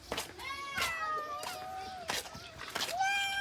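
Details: Cats waiting for food meow repeatedly, several drawn-out, falling-then-level cries in quick succession between short clicks and clatter, with a person speaking in the room.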